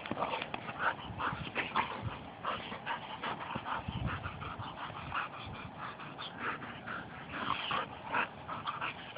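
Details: Pair of pet Labradors wrestling in rough play; steady chains of gravelly growls and whiny yips, broken by thuds and scuffling movement.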